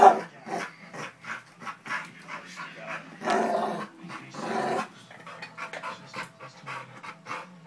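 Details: Pit bull named Cole growling and playing with another dog at home; rough, breathy bursts of growl and panting repeat roughly every half second, with a few louder rasping stretches midway and no other clear sounds.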